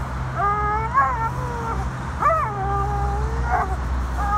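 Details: American Staffordshire Terrier named Tank in an autumn bout of excitement, whining in three drawn-out, high, wavering whines of one to two seconds each, some bending up and down in pitch, over a steady low rumble.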